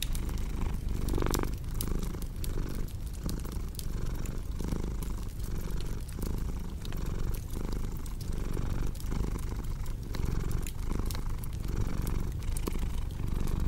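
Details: Continuous deep purr from a cat, low throbbing rumble pulsing with each breath roughly twice a second, while a crackling fireplace adds scattered snapping clicks over the top.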